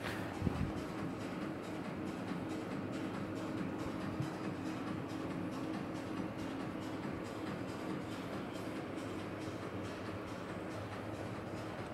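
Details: Continuous dense rumbling noise like a moving train or vehicle, with faint music underneath and no animal sounds.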